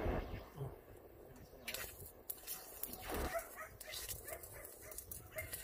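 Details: Shelter dogs at Yangsan Mindeulle Shelter during a volunteer visit, giving several sharp, noisy barks at irregular intervals over a few seconds, over a busy background of voices and clatter.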